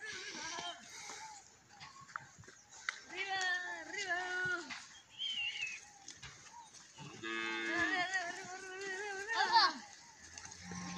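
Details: Dairy cows for sale in San Miguel, El Salvador, lowing repeatedly: several drawn-out, harmonic moos of a few seconds each, some rising and wavering, with short calls between and faint background noise.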